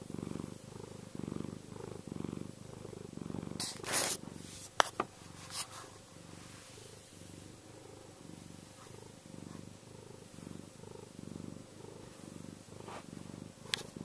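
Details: A soft purr from Chester, the contented cat, low and pulsing with each breath, interrupted around the middle by sharp clicks and scratchy handling sounds before the quiet rumble resumes.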